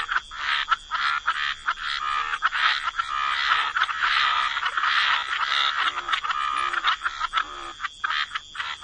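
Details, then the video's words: A thick chorus of frogs croaking beside the water, with many rasping calls blending into an almost continuous grating wash that briefly breaks into separate croaks near the end. "Frog Lullaby: Relax to the Sound of Croaking Frogs"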